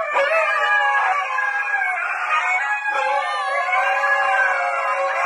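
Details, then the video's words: Husky howling in long, sustained, wavering tones with several overlapping pitches, as if more than one voice joins in, steady and loud throughout. "Dogs Singing and Talking 🐶 Awesome huskies"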